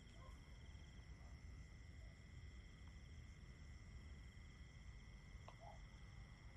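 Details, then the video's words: A steady cricket chorus: several unbroken high trills held at fixed pitches throughout, with a few faint scattered lower notes and a deep background rumble. "Just Crickets 10 Hours Nature Sounds"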